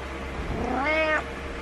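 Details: Cat meowing in the morning to rouse its owner from bed, unhappy alone; one short, plaintive meow that swells and fades in under a second, over low electrical hum.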